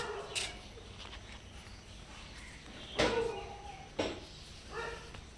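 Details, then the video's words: Hungry stray cats at a house seeking food and a safe place give short, soft harmonic meows, one near the start and three more spaced about a second apart later, over low outdoor background noise. "Hungry Cats Meows Softly Seeking a Safe Place and Food"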